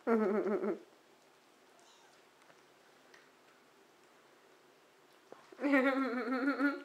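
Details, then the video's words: Month-old kittens in their own indoor nursery, already eating solid food and using the litter box: one harmonic meow opens, then a quiet gap with faint room hum, and a longer, wavering meow closes. "kitten time"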